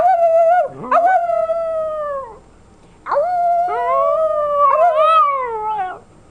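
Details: Almost 11-month-old female puppy copying her owner's howl: a drawn-out steady howl that wavers and dips, then a pause and a second longer howl that bends upward and down again, loud and clear.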